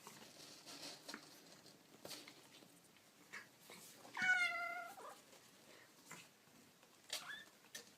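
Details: Kitten mewing indoors: one clear, drawn-out mew with stacked harmonics near the middle, then a fainter short mew near the end, amid soft rustles and taps.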